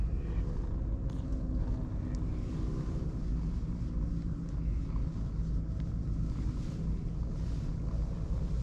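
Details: Purring from a pair of ginger tabby cats, one dark and one pale, pleased while being stroked; a continuous low rumbling drone with faint scattered ticks and rustles above it.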